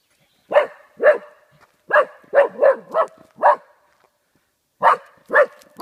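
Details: Oscar, a golden Cocker Spaniel, barking at cardboard cutouts in Dalby Forest, Yorkshire; rapid sharp barks in an uneven string of six, a short gap, then three more.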